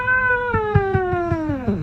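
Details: Cat giving one long, drawn-out meow indoors, starting fairly high and sliding steadily lower over nearly two seconds, with soft rhythmic thumps underneath.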